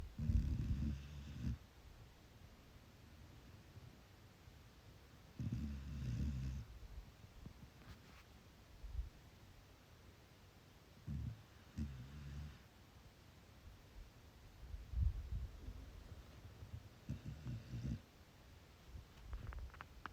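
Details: A sleeping chocolate Labrador Retriever puppy snores in low, rumbling bursts roughly every few seconds.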